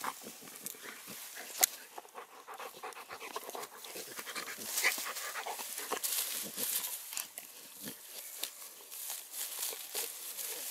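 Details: Two dogs, a female Cane Corso and a Dogo Canario mix, in wild play: fast, breathy, hissing panting in short irregular bursts, with scuffling and occasional louder snorts throughout.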